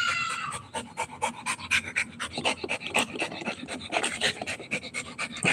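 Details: Rottweiler puppy panting during play, fast breathy pants repeated about four times a second, steady and loud, with a woman's laughter at the start.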